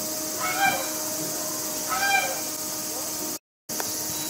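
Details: Captive mother capybara at Nagasaki Bio Park, Japan, frightened by a film crew entering her small enclosure while protecting her four-week-old babies; two drawn-out whining, meow-like cries about a second and a half apart, over a steady mechanical hum.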